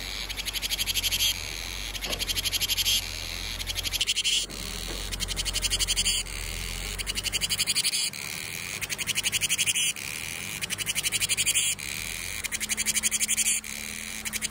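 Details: Summer cicadas sing a loud, high, shrill buzz that pulses rapidly and swells in bursts every couple of seconds.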